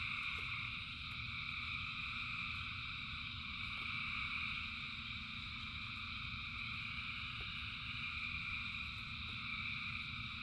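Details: Massed frog chorus during rain, thousands of callers blending into continuous shrill bands that hold steady throughout, over a constant low rumble of falling rain with occasional distinct drops.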